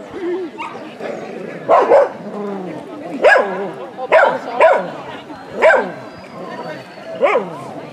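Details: Ibizan Hound (Podenco Ibicenco) at a dog show in Österbybruk on 29 May 2016, giving about seven sharp, separate barks at irregular intervals of one to one and a half seconds, with crowd chatter and voices underneath.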